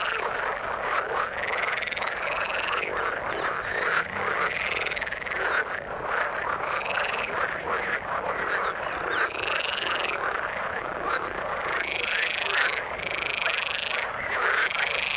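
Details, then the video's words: Many frogs calling from water: loud, rhythmic, buzzy croaks with arched notes repeating every second or two, layered over a constant, dense chorus. "Frog sound in the water"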